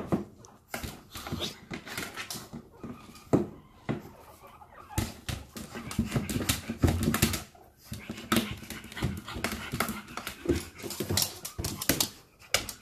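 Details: Pug meeting guinea pigs for the first time, with quick, rough breathy bursts repeating throughout, mixed with clicks, rustling and faint voices in the background.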